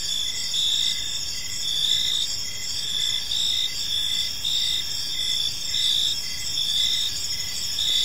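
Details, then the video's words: Crickets chirping in a peaceful park as evening unfolds; a dense, steady high chorus of overlapping chirps with pulsed bands repeating roughly once a second, and faint low background rumble. "Cricket Sounds in a Peaceful Park"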